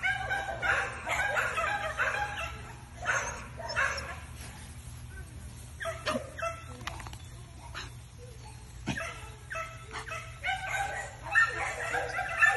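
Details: Male Patterdale Terrier of Booth breeding barking in short repeated bursts, roughly one per second, with uneven spacing and some quieter gaps, over a low steady background hum.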